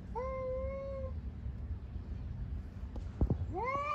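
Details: Cats fighting on the street give a sustained, even, tonal yowl lasting about a second. After a pause and a sharp knock, a second yowl rises in pitch. A low background rumble runs throughout.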